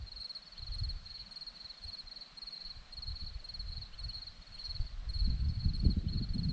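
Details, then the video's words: Crickets on a hillside at Zorlesti, Romania, chirping in quick pulsed bursts on one high steady pitch, over a constant rumble of low wind or handling noise that swells toward the end. "Crickets sound"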